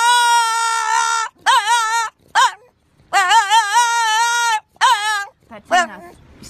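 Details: French Bulldog crying like a child while its owner talks to it; long, high, wavering wails with a strong vibrato, in several bursts split by short pauses, the last ones shorter and broken.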